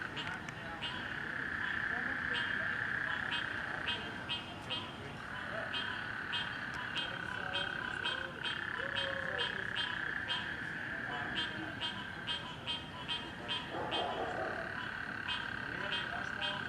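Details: Frogs calling at night in a neighborhood, displaced by flooding in the rain: a steady buzzing band with rapid repeated clicky pulses, a dense overlapping chorus throughout, with a faint voice murmuring underneath.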